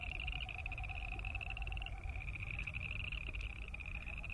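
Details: Boreal chorus frogs croaking in a steady chorus of rapid, high, pulsed trills that overlap without a break, with a fainter lower pulsed sound and a deep rumble of background noise.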